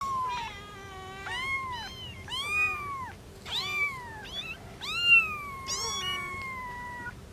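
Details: A cat, in a household of a mother cat with three kittens, gives a run of about seven loud, high meows, some arching up then down, others long and drawn out, over a faint steady low hum.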